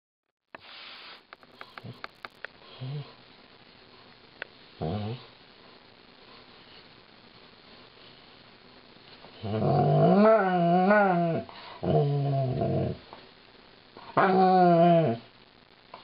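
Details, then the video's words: Lightning, a female Alaskan Malamute, sings a song of woe while being brushed by her owners indoors; after quiet shuffling, long wavering harmonic howls rise and fall around ten seconds in, then break off and return briefly near the end. ""Lightning" Sings the Brushin' Me Blues"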